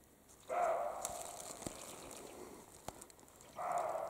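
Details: European roe deer barking in the Carpathian mountains during the spring mating period, male and female; two coarse barks three seconds apart, with scattered twig snaps and crackles between them.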